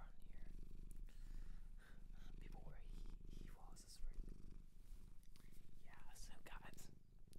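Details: Close-up purring from a domestic cat adopted from a shelter in Japan, a low pulsing drone that swells and eases, mixed with gentle whispering and rustles of fur being stroked.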